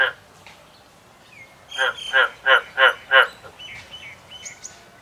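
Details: Farmed frogs, prompted by a person's repeated calls, give a quick run of five harsh, pulsed croaks, evenly spaced about three per second.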